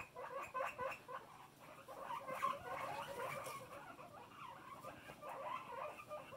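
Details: A loud guinea pig calling in a rapid run of squeaky, harmonic notes, several bursts per second with a brief louder peak midway, continuing steadily through the recording.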